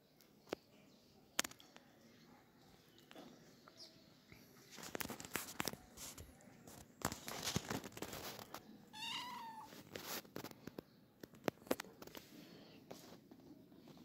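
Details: Kittens playing early in the morning; one short, rising meow with bright stacked overtones sounds midway, surrounded by sharp clattering knocks and rustling from their play.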